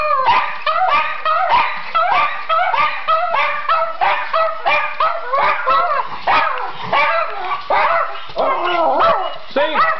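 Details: Schipperkes singing on request, several dogs yodelling together in a continuous chorus of warbling, wavering howls and yips that rise and fall constantly, overlapping without a break.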